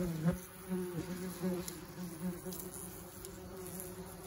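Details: German wasps swarming around their nest, many insects circling and streaming out; a steady low droning hum with an overtone above it, pulsing softly as individual wasps pass close, with faint rustling behind.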